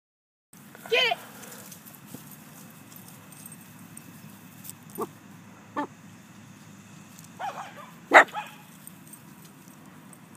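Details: Doberman Pinscher puppy named Moses giving a few short, sharp yips, the loudest near the start and another near the end. Softer thin sounds fall between them, over a steady low room hum.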